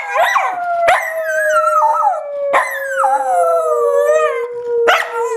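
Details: Pet dog howling at naptime, singing to his teddy bear; drawn-out wavering howls with rich harmonics, each starting high and sliding down, four phrases in about five seconds, a person briefly heard.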